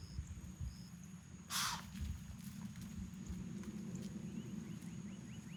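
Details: Spooked white-tailed deer does in Florida, startled by someone walking back to a truck: one harsh, breathy broadband snort bursts out briefly, over faint repeated rising bird chirps and a steady low outdoor rumble.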